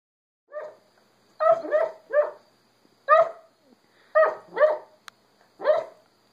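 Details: Cooper, a three-month-old Great Dane puppy, dreaming in his sleep: soft, muffled yips and small woofs come in short bursts, about eight in six seconds, some in quick pairs, against an otherwise quiet background.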